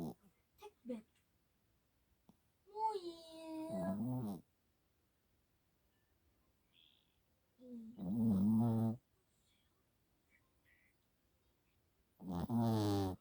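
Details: Yorkshire Terrier snoring indoors. Three rasping, buzzy snore bursts come roughly every four to five seconds, with quiet pauses between them. A few brief human voice sounds are heard near the start.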